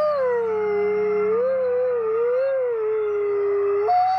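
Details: Howling wolves at the Wolf Conservation Center in South Salem, New York, part of a 50-wolf chorus: one long, low, gently undulating howl rising and falling slowly, ending with a sudden jump to a higher note.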